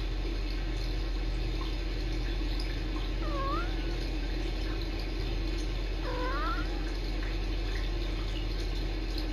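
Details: Two kittens, Sisko and Mila, chatting on a Tiny Kittens Society rescue cam: two brief, soft chirruping trills with quick pitch dips, several seconds apart, faint against constant room noise.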